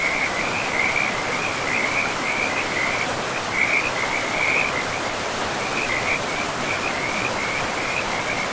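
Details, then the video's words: Near a river in pristine forest, frogs keep up a rapid, high-pitched pulsed trill, broken only by a couple of short gaps, while the stream's broad, even rushing fills the background. "River and Frogs sleep sounds"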